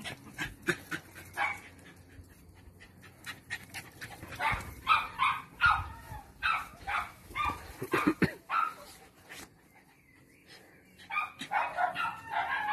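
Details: Parson Russell Terrier Lenny (Attractive Aramis of Green Spirits) in Styria over a weekend: soft breathy panting at first, then a lively series of clipped barks, a brief lull, and renewed yapping toward the end.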